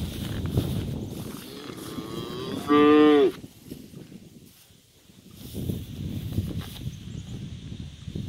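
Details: Three-month-old heifer calf named Lucky, recovering from a broken leg in a splint, in a pen at home: one loud harmonic moo under a second long, slightly falling, amid rustling and handling noise.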